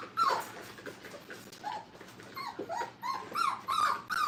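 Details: Brittany puppies, five weeks old, playing in a kennel: thin high whimpers and short rising squeaks, repeated unevenly over a soft noisy background, growing louder toward the end.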